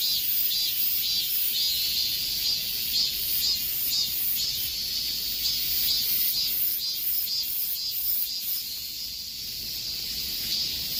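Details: Cicadas in summer heat fill the air with a steady, high, shimmering buzz that pulses faintly about twice a second.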